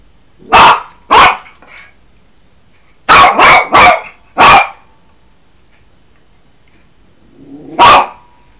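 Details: Yorkshire Terrier named Cookie, a puppy guarding the house, recorded on an Android phone: sharp high barks, two quick ones, then a burst of four in fast succession, a pause, and one final bark.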